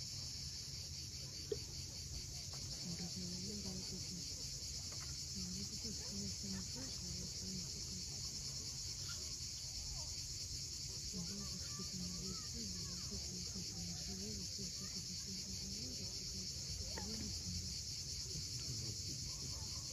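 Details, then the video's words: Cicadas at sunset on the steep coast of Cape Fiolent, Crimea, hold a steady, unbroken high buzzing drone. A low rumble of waves runs beneath, with scattered soft bird notes. "Cicadas at sunset."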